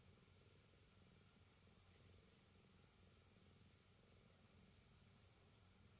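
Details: A cat kneading between a futon and a padded chanchanko vest, purring quietly: a soft, steady low rumble with a faint pulsing texture that runs unbroken for about six seconds, with no other clear sounds.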